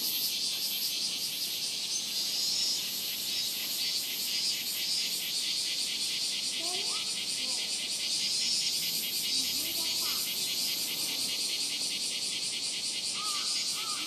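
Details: Robust cicada (minmin-zemi) at Rokugo Shrine, Ōta, Tokyo, in a summer when the cicadas began around July 20: an intense, high-pitched droning song throbbing in quick regular pulses, with faint brief bird calls beneath.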